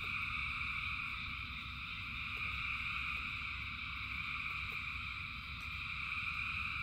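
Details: Frogs calling in the rain, thousands together, making a continuous shimmering wall of high-pitched trills that never pauses, with deep rain rumble underneath and occasional faint droplet clicks.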